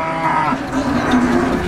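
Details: Cattle lowing at a busy livestock market selling female cows; a brief low moan, wavering slightly, under a background murmur of people.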